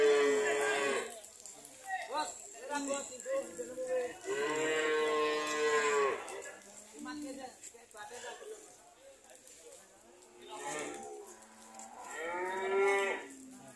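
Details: ["Several cows, an old man's herd that is selling poorly, give repeated drawn-out moos, some short and some sustained for two seconds, with overlapping calls and faint background noise."]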